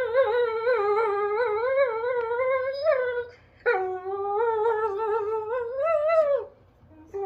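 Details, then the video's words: Vocal German Shorthaired Pointer demanding its bone inside a small room, producing drawn-out tonal moaning whines that wobble up and down in pitch, two long phrases separated by a brief silence, each sliding downward at its end. "Cute Vocal Shorthaired Give Me My Bone"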